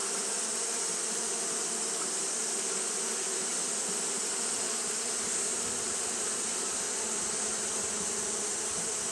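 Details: Japanese honey bees fanning steadily on a hot day: a dense, continuous low hum with a droning band near the bottom and a bright hiss above, holding even and unbroken throughout.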